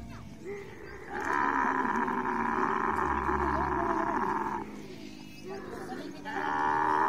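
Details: Camel during mating, giving a long, steady, rough groaning roar that holds for about three and a half seconds, fades into a short lull with low rumbling, then starts again at the end.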